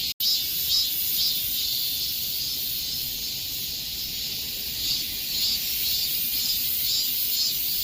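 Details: Cicadas in the summer heat: a dense, continuous high buzzing chorus with soft pulsing swells about twice a second, broken by a brief silent gap near the start; no other sounds.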